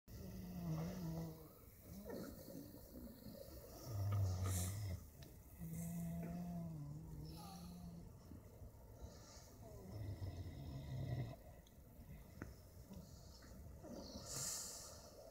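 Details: In winter at a wildlife park in Pforzheim, a wild boar family sleeps and snores with deep, rumbling breaths that come in slow, uneven bursts a few seconds apart.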